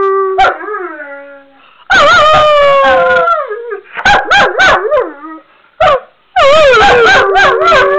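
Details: A male Weimaraner with severe separation anxiety howls in long, wavering, mournful notes broken by sharp yelps, distressed at being left alone.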